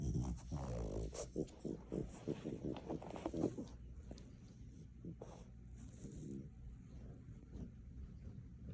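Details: Maui, a French Bulldog tucked under the sofa at home, gives a run of low grumbling growl-whines with rising and falling pulses for about four seconds, then settles into quieter snuffly breathing while a person talks nearby.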